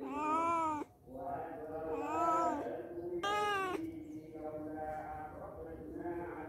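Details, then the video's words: Domestic cats visiting a house for a day or two give loud, drawn-out meows, three strong wailing cries in quick succession, then softer, lower mewing continuing underneath. "CAT | Kucing"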